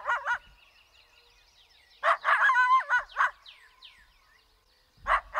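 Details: Angry eastern coyote gives two short barks, then a loud, wavering, harmonic bark-howl for over a second. Faint falling yips trail off before two more sharp barks.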